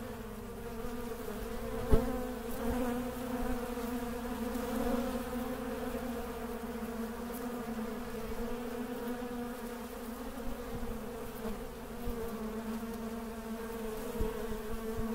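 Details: Honey bees buzzing continuously at Mandore Garden in Jodhpur, Rajasthan, on 12 February 2017; a deep, unbroken humming chorus with layered overtones lasts fifteen seconds, punctuated by occasional faint clicks and taps.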